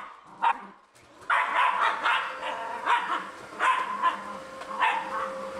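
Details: Corgi giving a series of sharp barks, about six bursts spaced roughly a second apart, each bright and mid-pitched, with a steady faint tone running underneath.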